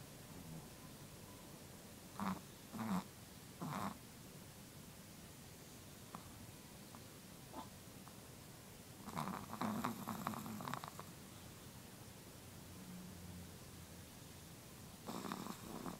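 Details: Sleeping Chihuahua snoring softly: short raspy breaths with a faint tonal buzz, in irregular bursts with a cluster near the middle and one at the end, over a quiet indoor hiss.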